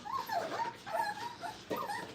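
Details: Five-week-old Brittany puppies playing at a training kennel give high, wavering whimpers and yips around the pitch of a whistle, in several overlapping bursts with short gaps between them.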